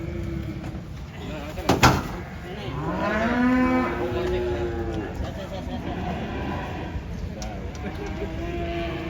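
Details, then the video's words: Cattle mooing while being unloaded from a truck, one animal having rolled over: a long harmonic moo rising then falling over about two seconds after a sharp knock, with men talking and exclaiming around it. "SAPI NYA KASIAN TURUN DARI TRUK"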